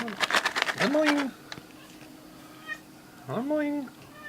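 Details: A female Maine Coon cat asking for snack treats: two drawn-out meows that rise then fall, the first right after a person's voice, the second about two seconds later, in a quiet room.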